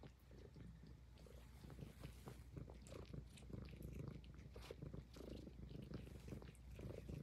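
A Highland Lynx cat purrs steadily, a deep, low rumble broken by soft wet licking sounds.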